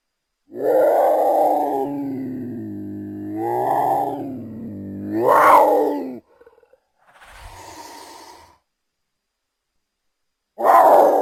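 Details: Mountain lion (Puma concolor) giving drawn-out, moaning yowls: three tonal calls that swell and bend upward in pitch, one soft rasping breath between them, and a final loud yowl starting after a pause.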